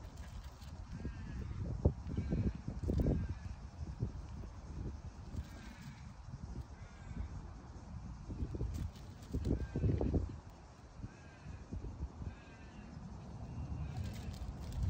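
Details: Poodle puppy named Chino in a park, showing separation anxiety after his owner goes out of sight; short bursts of whimpering, bleat-like cries around two to three seconds and again near nine to ten seconds, over a steady low outdoor rumble.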